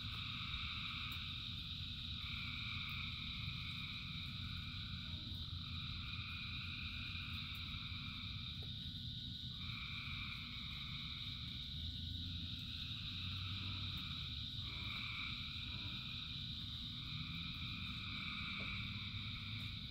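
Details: Dense chorus of frogs singing in rain, steady overlapping trills with bursts that surge roughly every two to three seconds, plus sharp drip-like clicks and a deep background rumble.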